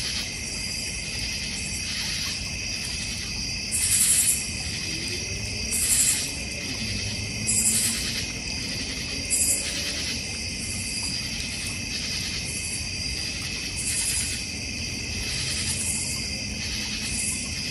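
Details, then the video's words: Crickets in a North Georgia Mountains backyard with a fire pit and koi pond. A steady layered high trill is joined by loud buzzy pulses, roughly every two seconds through the middle. "North Georgia Mountain Cricket Sounds"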